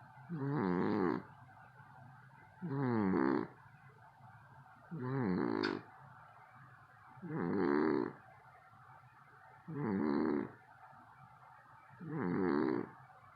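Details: Sleeping male house cat snoring so loudly it woke the household, six harsh rattling snores of about a second each at a steady pace near every two and a quarter seconds, with faint background hush between them.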